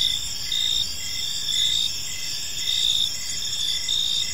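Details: Park crickets in the evening: a high, glassy trill with quick chirps recurring less than a second apart, many insects calling together in a steady wall of sound.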